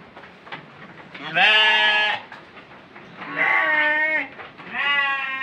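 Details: Bleating goat meant for Qurban sacrifice gives three drawn-out, wavering nasal bleats roughly every two seconds, each with a slightly rising then falling tone, against a faint background hiss.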